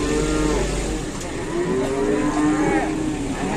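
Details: Cattle in Indonesia, a cow reported pinched and trapped; low mooing tones wavering and sliding through the clip over a steady engine-like rumble and background noise.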